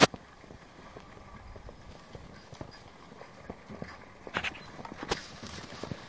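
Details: Two Haflinger geldings driven on a farm near Paisley, Ontario, Canada: faint, uneven clip-clop knocks scattered across six seconds, a sharper pair of thuds near the end, quiet open-air background and a brief voice at the start.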